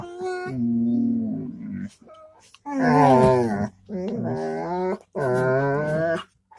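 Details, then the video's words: Dog making a run of drawn-out, tonal moaning vocals: a low steady tone, then three loud wavering, whine-like bursts with short gaps between them. "dog vocals 7 (lots of vocals, and tones)"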